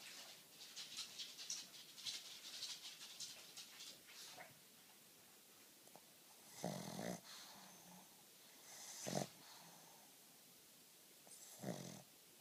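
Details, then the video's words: Black pug asleep during a nap, snoring: wheezy, hissing breaths at first, then three louder, rough, broadband snores spaced a few seconds apart, with quiet breathing between them. "Let a Sleeping Dog Snore"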